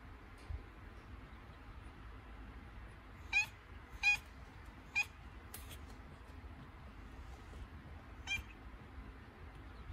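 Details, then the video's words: Cat in labour with contractions makes a series of short, clipped meows and chirps, four close together then one more after a pause, irregularly spaced, over quiet indoor hum. "Схватки перед родами у кошки 😱 / A cat is having contractions 😱"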